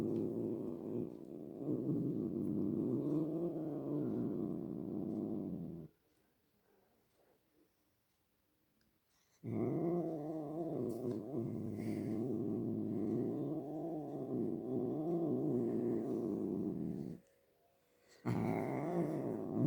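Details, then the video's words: A pet cat producing a long, rough, throbbing purr with slight rising and falling swells, broken by one silent gap of several seconds and a brief pause near the end. "My cat making sounds"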